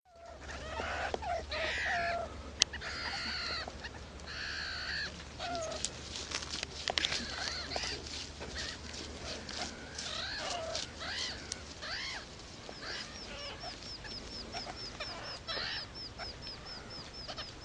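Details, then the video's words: Baby meerkats begging loudly for food from their babysitters: a dense, overlapping chorus of harsh, harmonic squeals and rasping cries, with a faint series of short high chirps running through the later seconds and a low steady hum beneath. "BABY MEERKATS BEG LOUDLY FOR FOOD FROM BABYSITTERS!"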